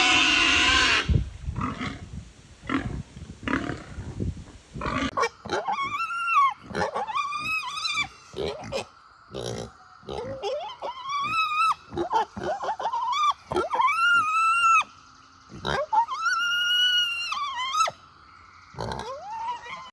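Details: Pigs at a sanctuary communicate with other pigs and people: rough, breathy grunts, then a run of shrill, tonal squeals that rise and fall.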